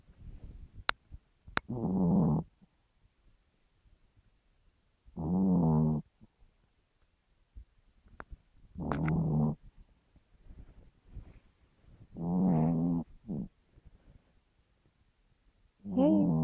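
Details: A pet Chihuahua snores at night, waking its owner. Five rough, droning snores of about a second each come every three to four seconds at a steady pace, with faint clicks and soft breathing noises in the gaps.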